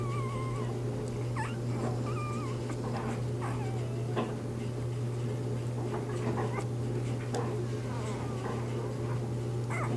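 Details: Litter of newborn Bernese Mountain Dog puppies during their first three days, mother Bear: thin high squeaks and short wavering whines at irregular intervals, quieter than the steady background hum and faint rustling.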